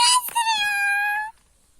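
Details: Kangal puppies in a village: a short yelp, then one loud, drawn-out whine of over a second, steady and rich in overtones, sinking slightly before it stops abruptly, followed by quiet.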